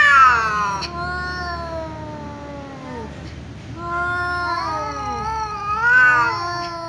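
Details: Two cats in a loud exchange: an angry tom meowing because a ginger cat keeps meowing. Drawn-out descending wails overlap, fade briefly around three seconds, then resume with wavering, rising and falling cries.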